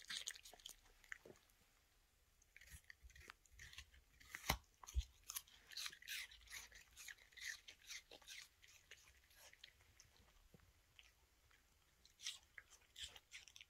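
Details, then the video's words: A female Toy Terrier eats an apple indoors, crunching in irregular bursts of sharp, crackly bites, about two per second, with quieter pauses between the bursts and a small-room echo. "Toy Terrier eating Apple. Deliciously Chewing Sounds"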